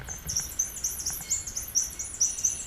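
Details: An Atlantic bottlenose dolphin at a marine park in Islamorada, Florida (14 Feb 2014) gives its signature whistle, an individual name-like call: loud, fast, high chirps running together with lots of clicking, nicknamed the "Geiger counter."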